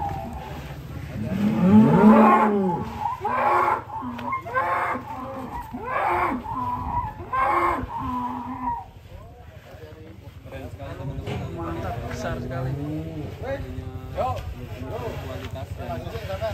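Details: Huge fattened cattle on a farm in Indonesia, transported by truck; one deep, drawn-out moo swells early on, followed by fainter lowing mixed with people's voices, clapping and steady background noise.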